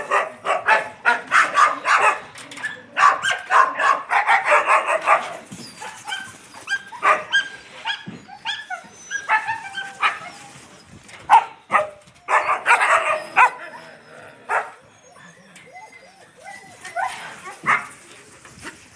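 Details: Dirty Yakutian Laika puppies with mother Rumba, an excited run of rapid yaps and small barks in dense bursts, then tapering to scattered squeaky whines toward the end.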